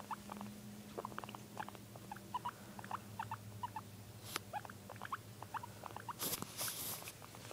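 A guinea pig gives rapid runs of short, high squeaks over a steady low hum.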